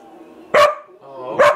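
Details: Domestic dog giving two short, sharp barks about a second apart, each a loud harmonic burst, with a faint tonal hum underneath between them.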